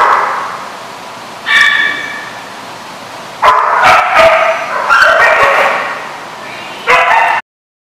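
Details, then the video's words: Dogs at a barking lot recorded July 13, 2015, giving a few separate harsh barks and yips with quiet pauses between, then breaking off abruptly. "The Barking Lot"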